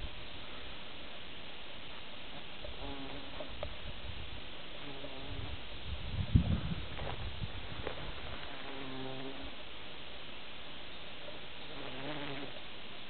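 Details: Bumblebee in grass, perhaps searching for a nest site or nest material. A low droning buzz with a clear humming tone fades in and out on several passes, loudest around the middle, over a soft rustling background.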